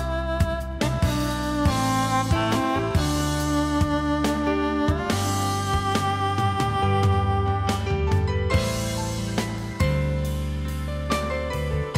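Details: Loud band music with guitar, drums and sustained tones plays throughout, with sharp drum hits and no audible animal call.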